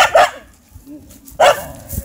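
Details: Hachi (Yaeryuga), a Hokkaido dog puppy aged 100 days; two short, sharp barks about a second and a quarter apart, with a faint voice just after.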